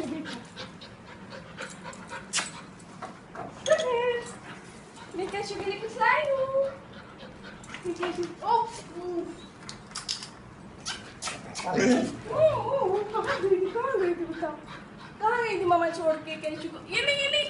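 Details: Golden Retriever puppy, four months old, reunited with its owner after four days: excited whining with sliding, bending whimpers, some panting, and human voices chattering throughout.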